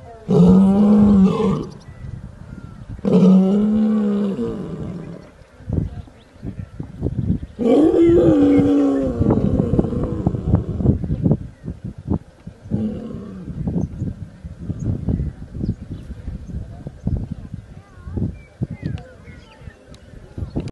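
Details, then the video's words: Lion roaring: three long, powerful roars, each swelling and falling in pitch, followed by a run of shorter grunting pulses that weaken and fade toward the end. "صوت الأسد _ زئير الاسد"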